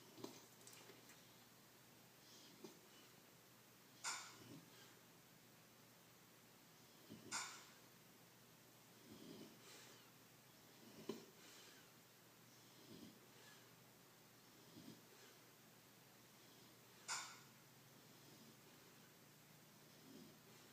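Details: Blu, a pet dog, asleep and snoring indoors: soft low rasping breaths repeating every two to three seconds, with occasional sharper snorts standing out in the quiet room.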